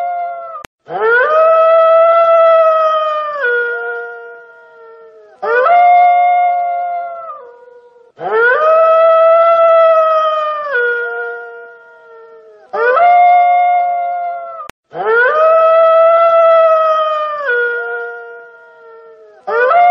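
A wolf gives long, mournful howls that rise, hold steady, then slide down at the end.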